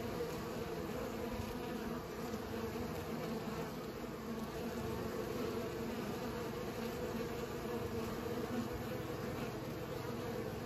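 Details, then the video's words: Bees pollinating flowers: a steady, continuous buzzing hum with bright tones around mid pitch, many insects droning together without pause. "Bees pollinate"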